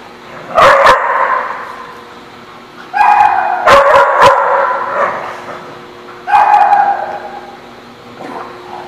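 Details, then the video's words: Dogs barking at a place called the barking lot, recorded 21 October 2017: loud harsh barks in bursts near one, three to five and six to seven seconds, with quieter pauses between. "The Barking Lot"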